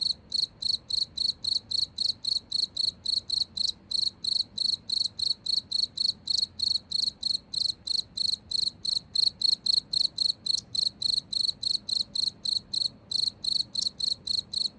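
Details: A cricket keeps up a rapid train of short, shrill chirps, close to four per second, with one brief hitch near the end and soft low rumble underneath.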